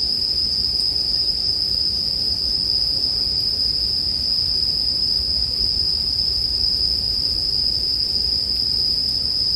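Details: Continuous high, bell-like trilling of bell crickets, paired with the sound of a crackling bonfire for sleep music; the ringing tone stays even and unbroken across the clip above faint low noise.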